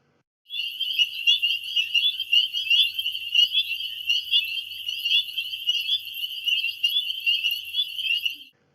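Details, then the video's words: Spring peepers in chorus: dense, high, shrill peeping notes from many frogs overlapping continuously for about eight seconds, with no other sounds. "let's listen to frogs, more specifically, a type of frog called spring peepers."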